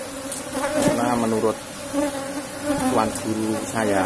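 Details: Asian honey bee colony buzzing during a honey harvest from a box hive; a steady low hum with a clear overtone runs throughout, while a man's voice talks over it in bursts.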